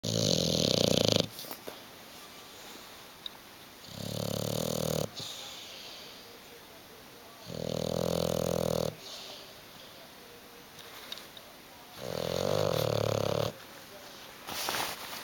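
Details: Hugo, a pet bulldog asleep on the sofa indoors and unwilling to wake or move, snores loudly: four rattling, vibrating snores of about one to one and a half seconds each, spaced roughly every four seconds, with quiet pauses between.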